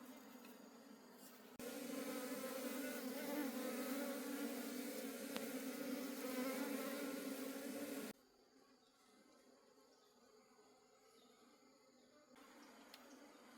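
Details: Honey bees of a wild forest colony disturbed during honey harvesting: a loud, rich droning hum bursts in near two seconds, stays strong for six seconds, then drops abruptly to a faint background murmur.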